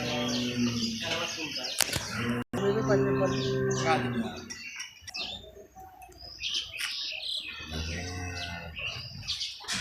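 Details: A cow on a commercial cattle farm lows once in a deep, harmonic moo of about a second and a half, with a fainter low call near the end, amid chatter, clicks and general barn noise.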